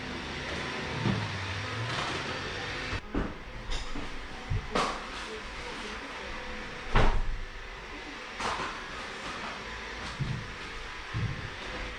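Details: Indoor knocks, door and cupboard thumps and sharp clicks over a low rumble, with faint talking and no animal call.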